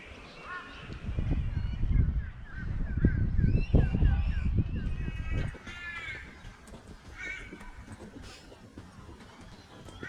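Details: Large bats in a Brisbane park, Australia, give a rapid series of shrill, squealing chirps over low rumbling noise from wind and footsteps.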